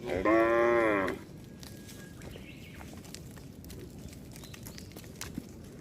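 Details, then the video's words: Cattle from a herd roaming along a road; one loud harmonic moo lasting about a second near the start, then quieter outdoor background with faint distant tones. "Rombongan sapi berkeliaran di jalan suara sapi bunyi"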